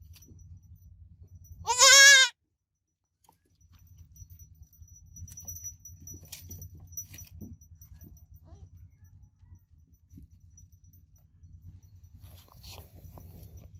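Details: Goat kid giving one short quavering bleat near the start, followed by a long stretch of steady low hum and scattered soft clicks and rustles.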